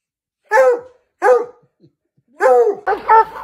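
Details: Treeing Walker Coonhound, a US hunting breed kept as a pet, giving three loud, separate barks about a second apart, each dropping in pitch with a short howling tail, then a fourth doubled, rougher bark.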